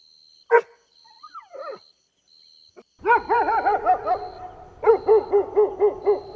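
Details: Golden Retriever puppies playing on lush grass: a single bark and soft whimpers, then rapid strings of wavering, bouncing yelps repeated several times a second, above a low rumble and a faint high tone.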